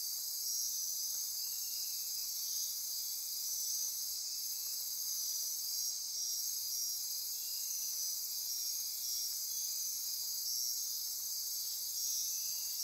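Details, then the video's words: Rainforest insects calling after dark near Corcovado National Park, Osa Peninsula, Costa Rica: an even, high-pitched drone of trills and buzzes with faint repeated pulses, plus a couple of brief clicks. "Midnight Insect Chorus"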